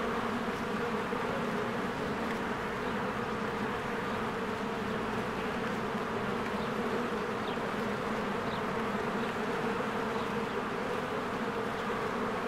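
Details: Honeybees in spring, many flying in and out of their hive while flowers bloom: a dense, steady droning hum of countless wings with a low buzzy band, continuous and unbroken, faint higher chirps scattered above.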